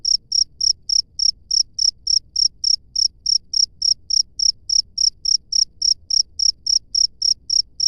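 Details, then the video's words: Chirping of a wild cricket: crisp, high-pitched pulses repeated rapidly and evenly, about three or four each second, with no other animals heard and a quiet low background. "SUARA JANGKRIK LANGSUNG DARI ALAM BEBAS"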